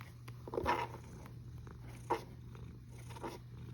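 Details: Snoring cat recorded 1 August 2021, 13:27, indoors: two rasping, breathy snores about one and a half seconds apart, the first longer and louder, over a faint steady hum and quiet background.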